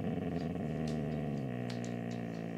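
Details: Siberian Husky grumbling back indoors while being told to get down from a chair: a sustained, wavering, harmonic drone that rises and dips throughout, with a few faint clicks above it.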